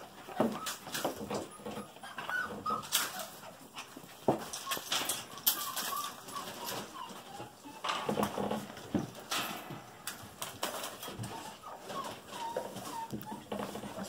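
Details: Golden Retriever puppies, female littermates Martini, Cameo, Oasis and Desert just over five weeks old, play indoors with toys. Thin wavering whimpers and whines come repeatedly at mid pitch, with scuffling, thumps and bumps in between.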